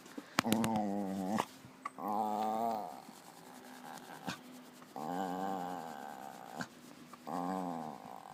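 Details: A Hungarian Puli gives four drawn-out, tonal groaning moans, each about a second long, with short pauses between, noises of satisfaction.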